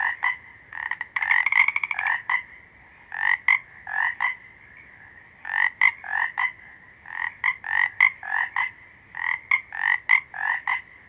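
Frogs give bursts of short, nasal, clicking croaks in rapid pulsed series, with brief pauses between bouts.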